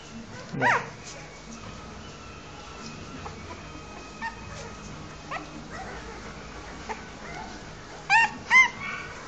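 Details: Newborn Rottweiler puppies give a few thin, high squeaks while nursing from their mother, over a quiet, hissy background.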